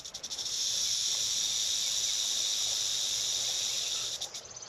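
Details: A rattlesnake in a bush on Catalina Island, rattling at passing hikers, gives a steady, high, dry buzzing rattle that holds unbroken for about four seconds before trailing off.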